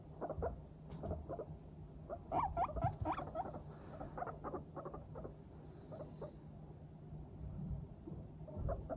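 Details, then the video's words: Pet guinea pigs, Teddy and Abyssinian breeds, chattering while trotting about contentedly: quick irregular run of short popping pulses, about four a second, some louder clusters, low background hum throughout. "軽快に歩く♪上機嫌なモルたちのお喋り Guinea pigs chatting"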